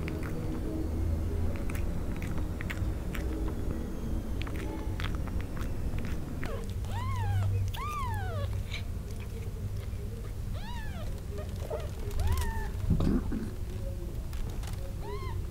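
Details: Hungry newborn kittens crying for mommy beside her, wanting to suck. Thin, arched mews rise and fall, coming singly or in pairs every second or two over a background of wet suckling and shuffling sounds.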